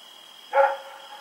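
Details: Rex, a dog running around at night, recorded October 7, 2018, gives a single short, sharp bark lasting about a quarter second, set against a steady high-pitched whine and a quiet nighttime background.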